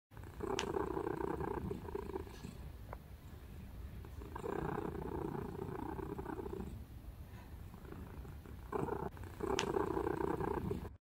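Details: A fluffy kitten under a month old, napping curled up, purring softly and steadily in low rumbling bursts that swell and fade every few seconds, with occasional faint clicks.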